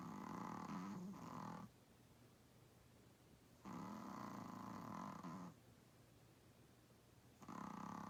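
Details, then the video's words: Sleeping Chihuahua-Pug mix, an 8 lb dog, snoring loudly: long rough rasping snores lasting nearly two seconds each, separated by quiet pauses of about two seconds, in a quiet room. "Worlds Cutest Chihuahua-Pug Dog Snores Louder Than Humans"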